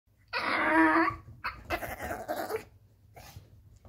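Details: Nervous Yorkshire Terrier indoors, unable to get onto a bed: a strained, whiny growl-whimper lasting under a second, followed by rustling and scratching sounds with a low background hum.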